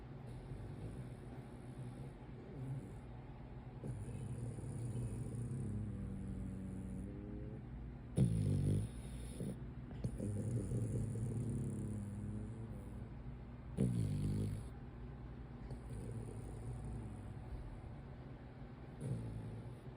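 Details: French Bulldog of a brachycephalic breed snores during a daytime nap: repeated deep, rattling rumbles, some long and drawn out, others short snorts, coming every few seconds over a soft constant hiss.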